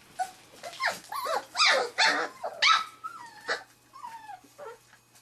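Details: Three-and-a-half-week-old Wirehaired Pointing Griffon puppies meeting a quail for their first bird scent; a burst of high, yelping whines and squeals, some sliding downward in pitch, trailing into softer drawn-out whimpers.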